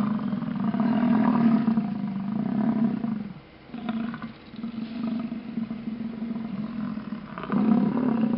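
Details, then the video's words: Grunting herd of American bison in Yellowstone, displaying while cars wait on the road: long, deep, rumbling roars overlap almost continuously, with a brief lull near the middle before another strong grunt at the end. "Grunting Bison"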